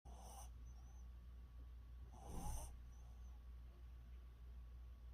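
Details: A pet dog snoring: two breathy, hissing snore bursts, one at the start and a longer one near the middle, over a steady low hum.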